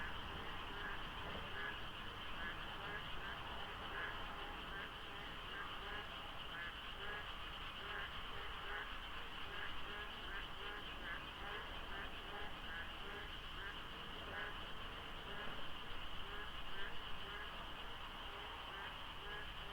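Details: A huge frog chorus at Deokso IC on the expressway before sunrise in the monsoon season, the count of callers hard to judge. Short croaking notes repeat rapidly in overlapping rows over a constant high ringing drone and low traffic hum.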